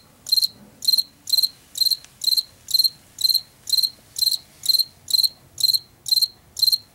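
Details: Field cricket, Washington, heard in late summer and fall; a run of short shrill pulsed chirps at about two per second, slightly uneven, over a faint low background murmur.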